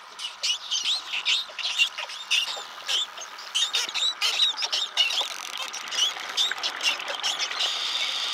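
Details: Underwater chorus from a school of wild spotted dolphins off the Bahamas: many short, high, wavering whistles overlap in quick succession, mixed with sharp click bursts, busy and continuous throughout.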